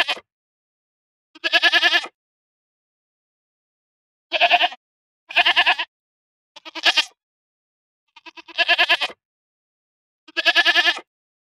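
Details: Goats bleating repeatedly, seven or so short quavering bleats spaced one to two seconds apart, each with a rapid vibrato, against a silent background.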